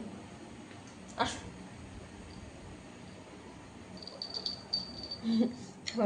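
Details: Domestic cat indoors in the evening, woken and wanting to go outside past a locked gate; one sharp meow early, then a low short mew near the end, over a thin insect tone and the owner's voice.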